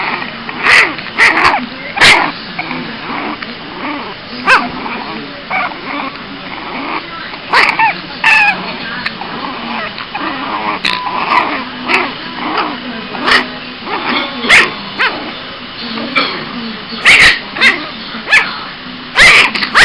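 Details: A male Boston Terrier puppy getting cranky whines and yips in short, high, fussy bursts, with a few sharp clicks.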